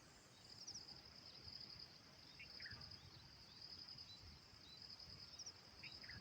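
A steady, high insect buzz with pulsed trills running through it, over low outdoor rumble.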